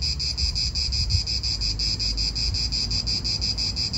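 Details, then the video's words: Italian park soundscape of cicadas: an intense, high, rapidly throbbing buzz with an even beat, over soft low wind noise. "Cicadas wind real atmosphere in an Italian park"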